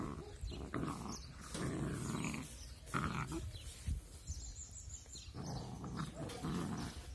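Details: Two puppies playing together, cute but angry; low rough growls in bursts of about a second, with short gaps and scuffling noise between them.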